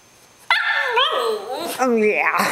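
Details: Pet Cavalier King Charles Spaniel Charlie, longing for his missing owner after being teased, lets out a long wavering whine that slides up and down, rising again into a louder drawn-out cry, with a woman's voice briefly overlapping.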